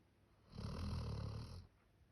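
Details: A single deep, rumbling snore from Max, a male Labrador Retriever born 1 October 2019, whose snoring is said to sound human. The snore swells quickly, holds for about a second, then fades into quiet room hiss.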